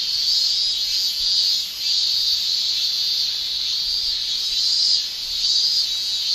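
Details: Male cicadas shrilling in a Japanese summer, their song made with the tymbal: a continuous, dense, high-pitched buzz with gentle swells in loudness every second or so and a short dip near two seconds. No other sounds stand out.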